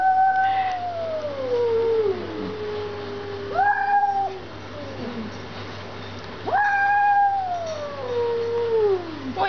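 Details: House cat, jealous over leftovers given to a stray outdoors, squares up for a fight: long wailing meows that fall slowly in pitch, three calls spaced about three seconds apart, with faint background murmur.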